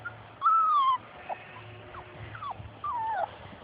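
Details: Labrador Retriever puppies playing outdoors and chasing their mother: three drawn-out, high whines that slide downward, spaced about a second apart, with a low background hum.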